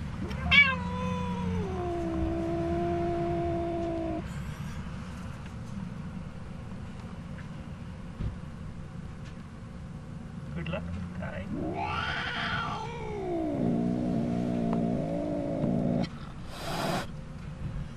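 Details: Two cats meeting a black cat at a campground in Monument Valley, Arizona, letting out long, drawn, wavering yowls that hold steady then bend up and down, with a man's voice calling to the kitty.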